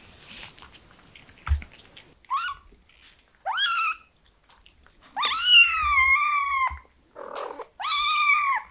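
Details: Kitten meowing indoors: about six rising-then-falling harmonic mews in under nine seconds, most short, one drawn out for around a second and a half, with quiet pauses between.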